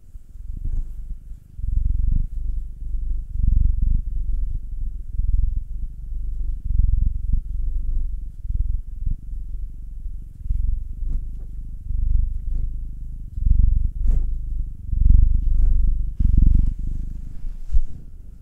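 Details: Contented purring from a cat being rubbed and kneaded, one of two pets, a black male aged nine and a two-year-old tortoiseshell-coloured Munchkin female; continuous deep vibrating rumble in rolling surges, with light handling rustles.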